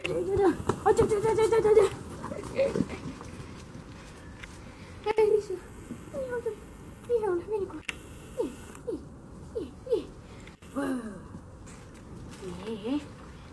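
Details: Black Russian Terrier puppies, 55 days old, indoors: a run of short high whines and yelps, some sliding down in pitch, with a longer whimpering stretch near the start and a few scattered cries after.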